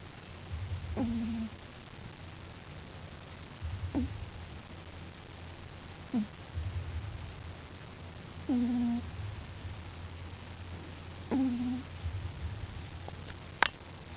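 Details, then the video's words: Five-week-old puppy sleeping on his back indoors, snoring in slow breaths about every two and a half seconds, each low rasping inhale ending in a short squeaky whistle. "Tipsy Snoring"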